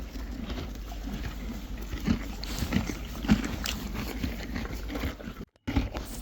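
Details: Friesian horses and foals chewing hay, a steady run of soft crunching and grinding bites with scattered sharper crackles, low rumbling background and a brief dropout near the end.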